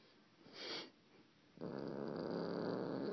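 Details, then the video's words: Domestic cat's strange noise: a brief hissy rustle, a pause, then a sudden loud, gravelly, rapidly pulsing rumble that continues to the end. "Weird cat noises"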